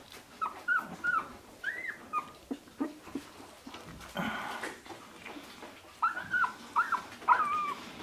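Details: Sixteen-day-old Shiba Inu pups, born 25 February 2017 and recorded 13 March 2017, making short, thin whimpers that rise and fall, about a dozen over eight seconds, coming in small bursts with rustling and a soft voice between them.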